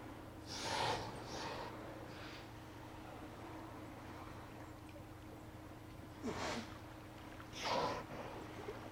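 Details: Steller sea lions at Sea Lion Beach on Hanson Island, Johnstone Strait, British Columbia, filmed by remote cam on 18 September 2018 in late afternoon; harsh breathy snorting bursts, a pair early on and two more later, over a steady low hum.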